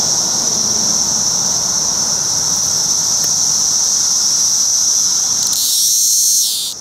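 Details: Male Magicicada cassini periodical cicadas at a roadside rest stop on Route 199, Rhinebeck, New York, with many cassini and decim cicadas on low trees. A continuous high, shrill whine holds steady, then shifts and rises briefly before fading.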